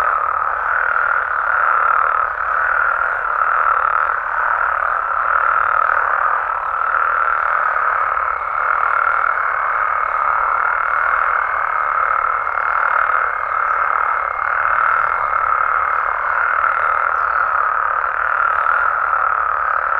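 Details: Frogs and toads in Mexico calling through the night, a dense pulsing chorus of countless voices with a faint high whine appearing midway and fading before the end.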